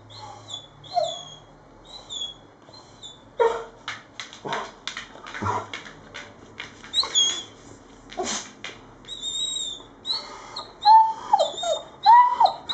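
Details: Irish Setter dog: scattered thumps and clatter early on, then short, tonal whines that rise and fall sharply, bunched in the last few seconds.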